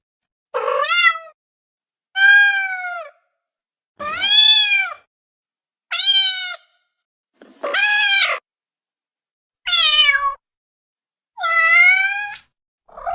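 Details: Cat giving clear, separate meows roughly every one and a half seconds, each bright and harmonic, rising sharply then bending down, against a silent background.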